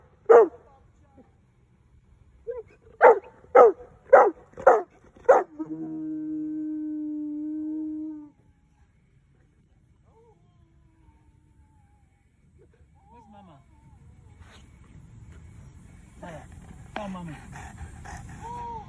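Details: Female Boerboel, excited that her mum is behind, gives five high, whiny yelping barks in quick succession, then a steady tonal hum, and later a woman's voice and rustling.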